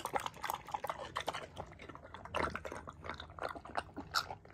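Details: Cucumber-eating rescue pig Paulie, at an upstate New York animal sanctuary, makes short juicy slurps and crunchy bites in quick, irregular bursts, one louder wet gulp near the middle.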